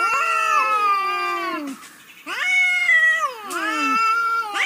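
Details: Domestic cat meowing, one of a compilation of funny cats: three long drawn-out meows, each sliding downward at the end, with a short quiet gap between the first two.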